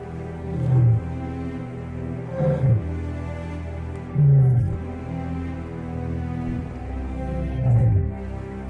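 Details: Dark orchestral music with low, pulsing bass swells; no animal voice is heard.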